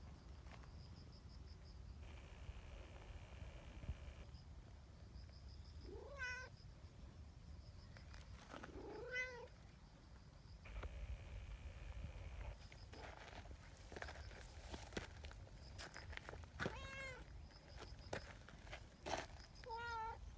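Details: Community cats gathering into a trio on a bench after a meow signal; four clear rising, harmonic meows, at about six, nine, seventeen and twenty seconds, over a low steady background rumble.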